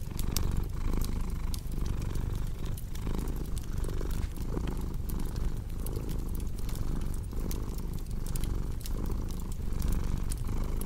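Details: Purring cat by a crackling fireplace, low vibrating drone rising and falling in regular breath cycles, overlaid with frequent bright snaps and pops from the fire.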